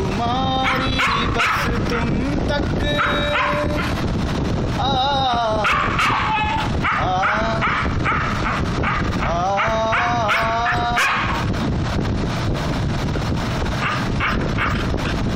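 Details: Siberian Husky howling along to the Hindi song "Tum Tak": several long, wavering, drawn-out howls rise and fall in pitch over loud music with a male singer, plus brief breaks of music in between.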